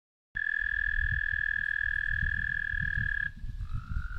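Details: American toad song: a long, steady, even musical trill held for about three seconds, followed by a second, slightly lower trill beginning, over soft low rumbling noise.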